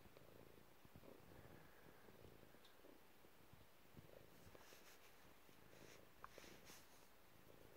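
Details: Chilled pet cat purring in a messy room, a faint steady low rumble pulsing throughout with a few light clicks and rustles.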